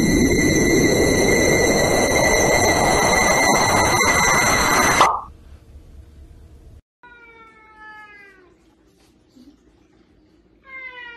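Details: Domestic cat meowing: a drawn-out, falling, harmonic meow, then a short rising meow at the very end. The first five seconds are loud roaring mechanical noise with steady whining tones, followed by a near-silent pause.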